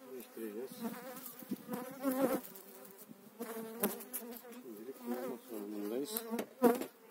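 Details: Buzzing swarm of honey bees as eight frames are transferred into a new hive in spring 2018; the dense hum wobbles up and down in pitch as bees fly close, broken by sharp taps of hive handling.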